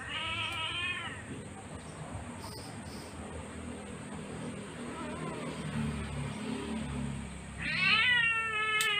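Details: Sweetie, a female Siamese cat, meows during her claw trimming: a high, wavering cry at the start, quiet handling noise in between, then a louder, strained meow near the end.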